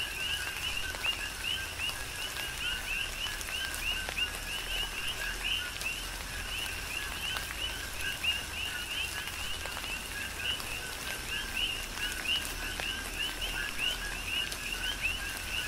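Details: Coqui frogs chorusing on the Big Island of Hawaii during a tropical rain shower: many overlapping two-part chirps, a lower note then a higher upswept one, repeated densely throughout over steady rain patter and scattered drips.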